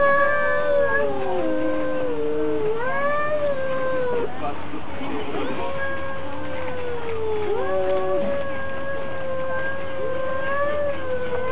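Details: Fighting cats in a neighbourhood dispute give long, wavering caterwauls with dips and sudden pitch drops, the two voices overlapping, over a faint low hum.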